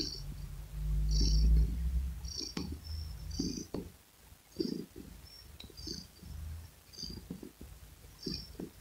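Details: Domestic cat purring near the microphone: a steady deep rumble, loudest in the first two seconds, then softer breath-paced throbs with light clicking sounds on top.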